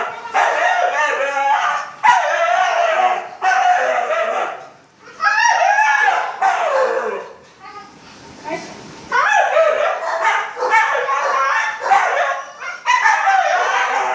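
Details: Pair of huskies, overexcited young dogs eager for a morning walk, giving loud warbling howls and yips in bursts of one to two seconds, rising and falling in pitch, with brief quieter gaps.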